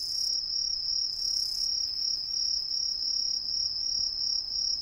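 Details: Green tree crickets singing from street trees in a residential district of Ehime, Japan, where the introduced insects hide in the canopy: a constant high, metallic trill pulsing about three times a second, with soft background hum.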